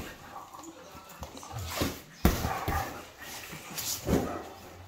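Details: Two Great Danes, a male and a female, play-fighting rough like a catfight; short growly, whining bursts around the second and fourth seconds over scuffling thumps, with a person's voice faintly in the background.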